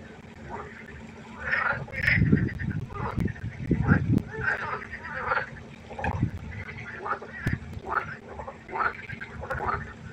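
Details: Frog concert by a pond at night: rasping, quacking croaks from several callers in uneven clusters, mixed with a few low dull thumps and a faint background hum.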